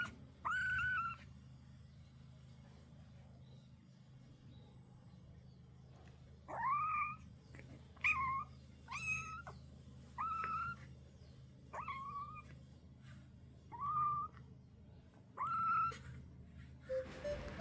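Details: Young kitten crying repeatedly, a voice called very cute; about nine short mews, some rising, others broken into two notes, arriving every one to two seconds against a steady low hum, with a faint click at the end.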